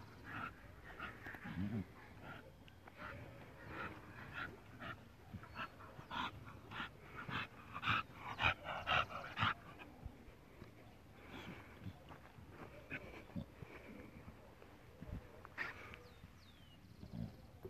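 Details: American Bully dog at Átomos Bulls Kennel in Colombia, breathing in quick rhythmic breathy pants, roughly two per second, with short louder bursts midway and faint high chirps in the background.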